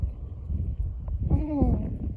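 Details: Wild horse near Merthyr Tydfil, Wales, recorded 25 May 2024, after it had been spooked and galloped: a short wavering whinny with falling tones over steady low rumble, with people talking in Polish nearby.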